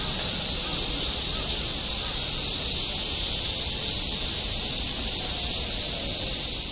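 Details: Cicadas in Shinjuku, Tokyo, 2016, massed in a semi-shigure summer chorus: an even, hissing high-pitched drone that never pauses or changes over the few seconds, over a quiet low background hum.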